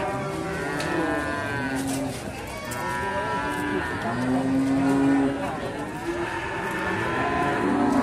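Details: Several moos from Simmental calves at the Sukorejo livestock market, Kendal, Indonesia, long steady low tones overlapping one another amid a busy background hum of people and traffic.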